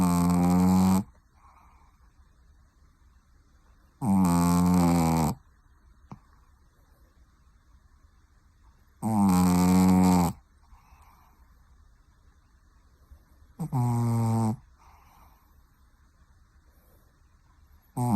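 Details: Pekingese dog snoring indoors, four loud, deep rasping snores, each lasting about a second and coming every four to five seconds, with quiet pauses between.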